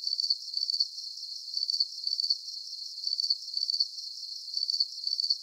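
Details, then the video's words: Soothing night crickets, sharp high chirps in quick pulsed groups returning at a steady pace, a bright buzzing texture over faint background hiss. "Calming Cricket Sounds"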